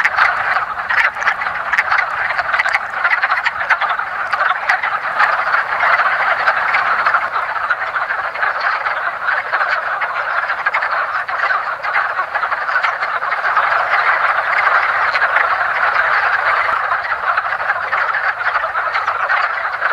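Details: Many wood frogs (Rana sylvatica) in a woodland pond, mating as spring first arrives. A continuous wall of short, hoarse clucking calls overlaps densely and swells slightly toward the end.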